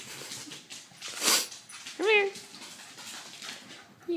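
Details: Pet corgi indoors trying to fetch with its bed gives a single short whine that rises then falls, with clear harmonics, while a person talks to it before and after.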